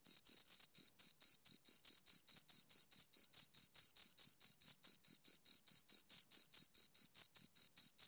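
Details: Crickets, two of them, giving crisp high-pitched chirps at a steady rhythm of roughly four to five per second, each pulse a brief scraped tone; nothing else audible.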